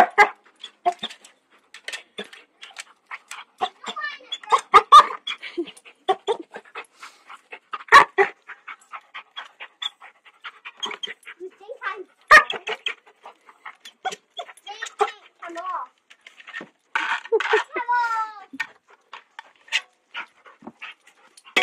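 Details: Puppy near gardeners shovelling sand by a lake in Hamilton, New Zealand, refusing to walk past and barking; a rapid series of short yelps, barks and panting, with whining rising and falling notes.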